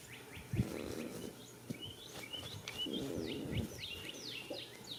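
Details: Goat sleeping in a field on the first day of spring, snoring: two breathy, rasping low snores about three seconds apart, with small birds chirping and twittering throughout.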